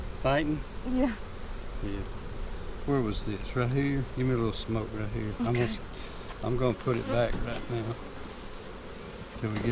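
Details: Bees from a March 4 hive split, recorded during an April 15, 2017 inspection. Repeated short, humming buzzes come in bursts, several close passes clustered around three to five seconds and again near seven, over low rumble.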